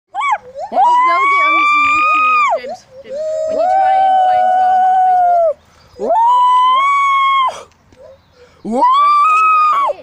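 A gibbon gives loud, pure hooting notes, each sweeping up sharply and then held for a second or two. The phrases come in turns with short pauses, copying a person's voice.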